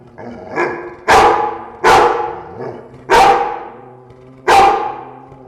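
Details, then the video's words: Dogs in a room give a throaty growl underlying four loud, spaced barks, each about a second or more apart. "Dogs growling, room/ Warczenie psów, pomieszczenie"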